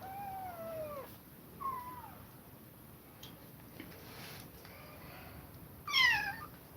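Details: Kittens separated from their mother after her repeated attacks, giving high, thin meows with harmonic stacks that slide downward, several spaced cries across the clip and a brighter, louder one near the end, in a quiet room.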